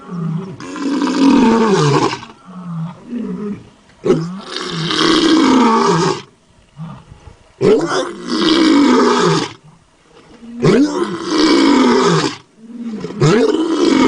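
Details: A tiger roars at close range in loud, rasping bursts about every three to four seconds.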